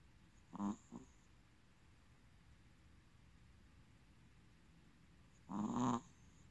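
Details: Young male long-coat Chihuahua, black, tan and white, snoring softly: two short, rasping breaths about five seconds apart, each a low buzzy rumble, with a quiet indoor background.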